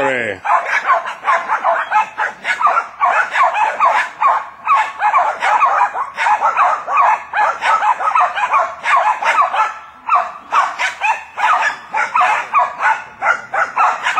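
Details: Jack Russell Terriers, three dogs working a wild boar that they have surrounded, bark in fast, sharp, high bursts that run almost without pause.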